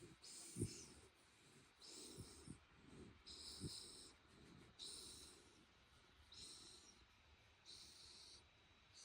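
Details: Head-rubbed on a futon and growing sleepy, the Shiba Inu Ranmaru gives soft whistling 'fii' snorts mixed with low snuffles. The airy bursts are spaced a few seconds apart, with short clicky rustles between them.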